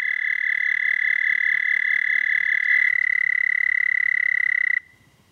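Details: Singing toad recorded late at night, 30 May 2014, 11:13 p.m. CDT. A loud, continuous pulsing trill on a single high pitch runs nearly five seconds, then cuts off abruptly, leaving quiet.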